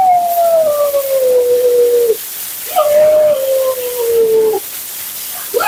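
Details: Two long, smooth howls from Mila, a dramatic female Siberian Husky being groomed, each sliding slowly downward in pitch for about two seconds, separated by a brief pause.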